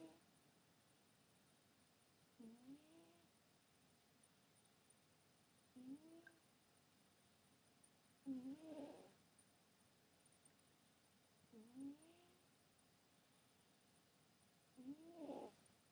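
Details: Pet cat sleeping indoors, snoring softly: short breathy snores with a faint rising squeak at each breath, repeating about every three seconds over quiet room hiss.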